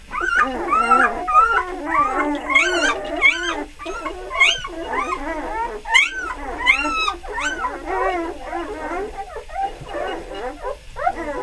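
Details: Litter F Beli Andjeo, puppies just three days old. Shrill whimpers and squeaky yelps come in quick irregular bursts, some sharp rising peeps standing above a steady tangle of overlapping whines.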